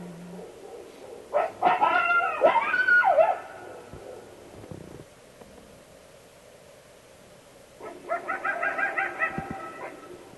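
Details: Unusual coyote sounds, the kind easily mistaken for another animal: a squealing, warbling yelp burst, a long quiet stretch, then a fast run of pulsed, nasal barking notes.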